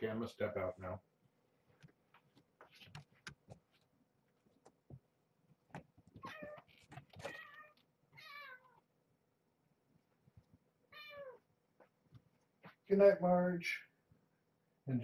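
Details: Kittens of mother cat Marge at bedtime, tucked in a box in her cage indoors: a few short rising-falling meows scattered between human voices, quiet rustling and handling noises.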